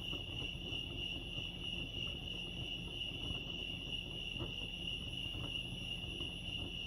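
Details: Constant shrill trilling of crickets at Lake Arrowhead, California, steady in pitch and loudness throughout, accompanied by a low, muffled background rumble.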